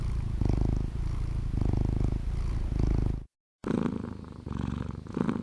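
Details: Purring domestic cat, a relaxing anti-stress sound; low rumbling vibration rising and falling with each breath about once a second, broken by a brief silent gap before the purr resumes more softly.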